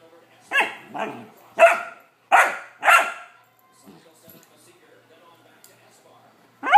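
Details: Bored 14-week-old male Vizsla puppy demanding attention with a quick run of five sharp, loud barks in about three seconds, then quiet shuffling and one more bark at the end.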